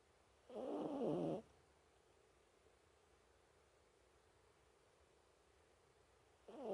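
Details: A sleeping Toy Poodle snores indoors: one long, rough, rasping breath lasting about a second, followed by quiet, with the start of the next snore at the very end.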